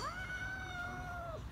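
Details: Angry neutered mother cat that keeps attacking her kittens: a single sustained whining yowl, held almost level for over a second before dropping off, as a woman tells her to stop in Turkish.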